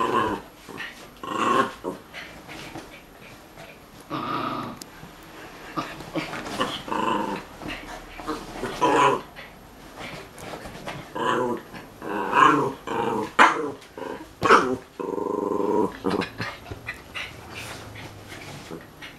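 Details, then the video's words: Young male puppy playing with a female dog friend: frequent rumbling play growls and grumbles, a few sharp yips, and busy scuffling through the whole stretch. "Hundejunge ANGUS (m) beim spielen mit seiner Freundin"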